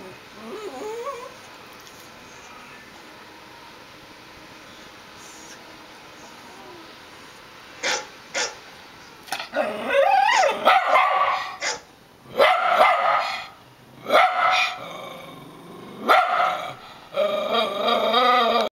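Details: A Rat Terrier, going wild at a dog barking on a computer monitor, lets loose a run of sharp, high, excited barks after a quiet start.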